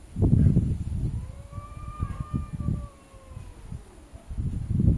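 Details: Cats arguing with each other: a long, drawn-out wavering yowl that swells and sags in pitch over several seconds, carried by strong harmonics, with low rumbling background noise and thumps at the start and end.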